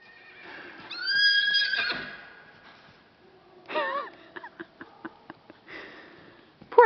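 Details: Gypsy Vanner horse neighing in reply to a horse ringtone played on a phone; a long rising whinny with clear harmonics, then shorter snorting and fluttering calls, with people talking and laughing nearby.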